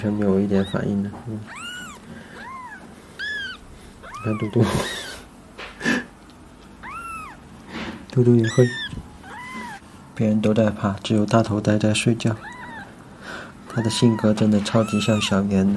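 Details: Kittens in a home being scratched by their owner; many high arched meows in quick succession across the recording, overlapping with a woman speaking Mandarin and some handling noise.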